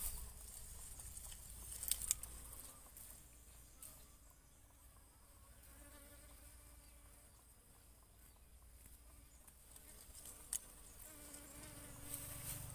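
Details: Bees pollinating and feeding on coconut flowers buzz in a steady, wavering hum that swells and fades as they pass close.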